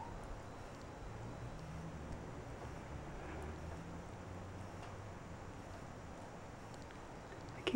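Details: A quiet indoor room with a faint low murmur of voices and soft background hiss, ending with a sudden louder knock.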